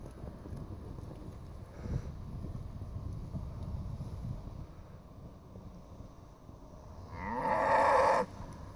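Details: Hungry Brangus cattle waiting for cattle cubes; Brutus gives one loud, rich, harmonic moo lasting about a second near the end, after quieter shuffling, while a man's voice coaxes him to come over.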